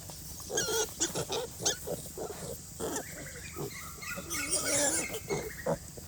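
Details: A sow and her piglets huddle asleep in very cold rainy weather. The piglets give short high harmonic squeaks and grunts in quick bursts, then a longer wavering squeal, over a steady hiss of rain.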